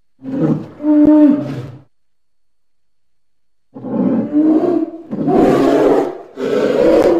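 A polar bear gives deep, rough growling roars in two bursts separated by a pause.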